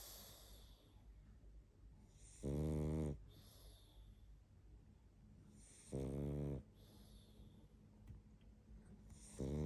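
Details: Barney the pug asleep, snoring steadily: loud, low, rattling snores roughly every three and a half seconds, each followed by a soft airy hiss of breath out.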